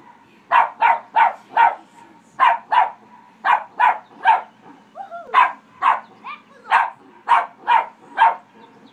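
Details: Pet dog barking at people in a pond, as it does whenever anyone swims or jet skis: a rapid series of sharp mid-pitched barks, about eighteen in quick bursts, with a couple of short whiny yelps mixed in near the middle.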